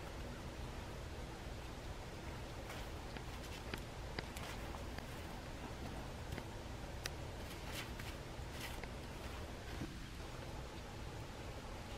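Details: Quiet indoor hiss with a few soft rustles and small clicks, and no animal voice.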